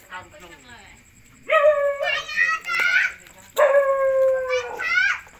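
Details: Puppies whining while being fed, with sustained, tonal, harmonic cries about a second long, one held steady and another slightly falling, separated by short pauses, with clicks in between and a quiet room.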